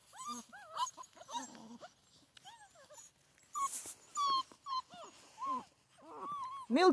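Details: Six-week-old Central Asian Shepherd Dog puppies in Michigan, still nursing from their mother; high whining whimpers with rising and falling arched tones, repeated in short bursts, a person talking softly between them.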